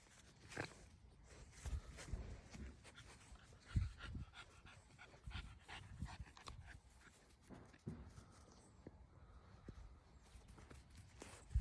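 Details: American Bully dog panting and snuffling close by, irregular low breathy puffs and sniffs with occasional louder huffs, no other clear sounds.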